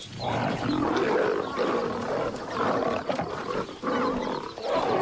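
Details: Lions from a wild pride, lionesses in aggression toward an outcast lioness; deep rough snarling growls rise and fall in overlapping bursts roughly every second, with a harsher peak near the end.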